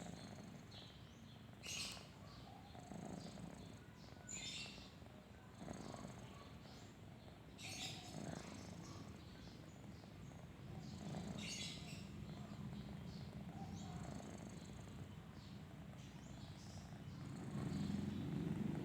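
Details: Sleeping kitten snoring softly, a low rumbling purr-like drone with slow breath swells throughout, while faint high bird chirps flicker in the background.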